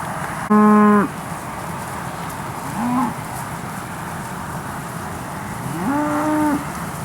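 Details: Cattle at the Moseley Cattle Auction sale of 8/8/13, with steers sold: a loud, steady, deep moo in the first second, a short lower call near three seconds, then a longer moo rising at its start, over a constant background hum.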